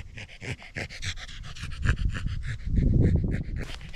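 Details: A corgi pants hard during a sunny mountain hike near the central Japanese Alps and Ina Valley in early autumn. Short, even, breathy pulses come about four per second, with a low rumbling bump of handling noise partway through.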